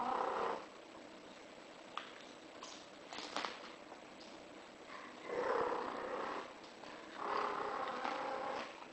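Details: Cat in heat, a British Shorthair, gives repeated moaning yowls, each roughly a second long and strongly harmonic, at the start, around five and a half seconds and again near seven to eight seconds, with faint clicks between.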